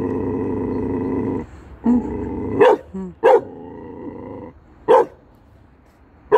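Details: A Chow Chow barking at statues growls low and steadily, then gives several sharp, deep barks.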